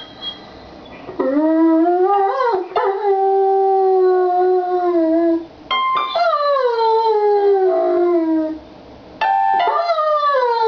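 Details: ['German Shepherd named Rocky, a pet dog, howling and singing along while piano is played; long drawn harmonic howls sliding up then gently falling, three main phrases separated by short silences.']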